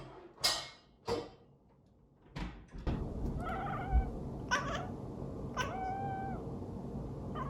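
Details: Domestic cat meowing in complaint at its owner, who is putting away dishes after washing up; it dislikes the loud noise. Several short harmonic meows in the second half, after sharp clattering of dishes, with the owner speaking Korean.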